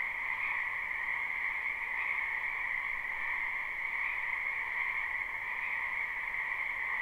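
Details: Frogs crowding a wetland in spring fill a live, unlooped recording with constant croaking; the overlapping voices merge into a steady high hum over a lower band, pulsing gently around two, four and six seconds in.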